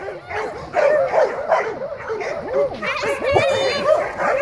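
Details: Dogs playing and greeting each other, giving rapid, overlapping high yips and whining cries in quick bursts, with a human voice mixed in.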